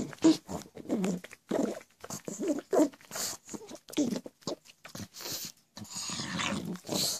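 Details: Pet pug making its constant goblin-like noises: a rapid series of short, rough grunting and snorting bursts with growly whines, uneven and closely spaced, indoors.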